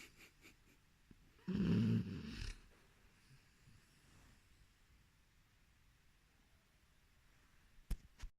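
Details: A sleeping Boxer puppy gives one loud, rough snorting breath lasting about a second, then lies quiet apart from soft breathing and a sharp click near the end.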